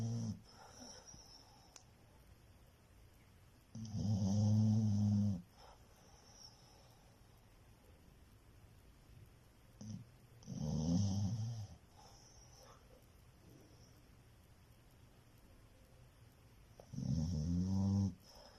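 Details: Domestic dog asleep and snoring indoors, deep rattling snores roughly every six to seven seconds, three strong bursts with quiet breathing in between.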